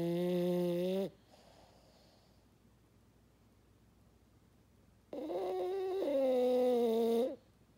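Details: Sleeping French Bulldog snoring with deep, honking, fog-horn-like breaths lasting one to two seconds, a rising drone at the end, with a long quiet gap between snores in a small room.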